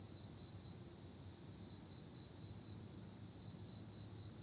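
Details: Insects of an autumn night keep up a continuous shrill ringing at a single high pitch, never pausing, over a quiet low background hum.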